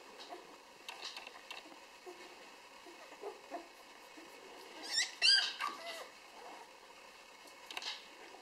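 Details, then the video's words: Six-day-old Rhodesian Ridgeback puppies from Enya's B litter give a short burst of high, thin squeaks midway, with faint soft clicking and rustling scattered throughout a quiet indoor setting. "Rhodesian Ridgeback Enya B-Wurf 6 Tage alt"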